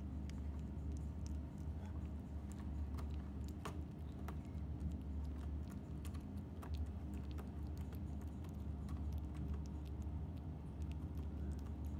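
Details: Constant low electrical hum under scattered sharp clicks and ticks, with no voiced animal sound.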